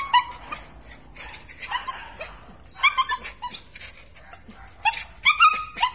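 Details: Belgian Malinois whining in short, high-pitched, wavering yelps that come in small clusters separated by brief pauses, with clipped sharp squeaks near the end.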